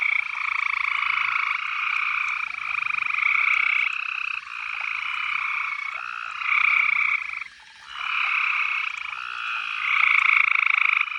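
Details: Loud frog chorus from a horse trough with trickling water on a summer night after sunset: many overlapping buzzy trills forming a steady two-toned drone, pulsing in waves every second or two, with a short quieter gap near the end.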